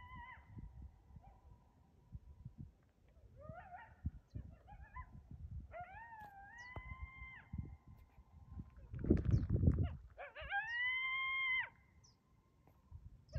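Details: Coyote in a standoff with a deer: short wavering cries, then two long level howls that rise at the start, with a burst of low rumbling noise between them.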